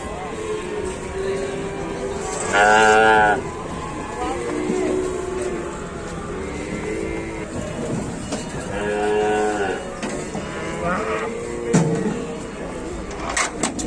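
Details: Cattle being loaded onto a truck in Indonesia, giving loud harmonic moos around two to three seconds and again near nine seconds, with human voices, vehicle noise and faint background music throughout.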